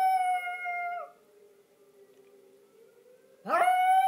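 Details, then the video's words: Yorkshire Terrier Hershey howling along with the monthly tornado siren warning. A sustained howl ends with a downward slide, the lower siren drones alone for about two seconds, then the dog swoops up into another loud, steady howl. "Yorkie Hershey singing the Tornado song"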